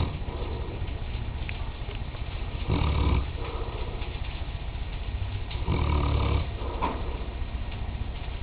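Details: Mastiff named Nicole, registered as Dralion's Nicole of Real Valley, snoring while asleep; low rumbling breaths with two louder, rasping snores near the third and sixth seconds over a steady low hum.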